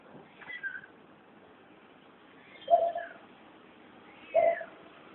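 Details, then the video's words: A cat found making weird noises gives short, low, strained meows, two loud clipped ones about one and a half seconds apart after fainter higher calls, over steady background hiss. "Cat making weird noises"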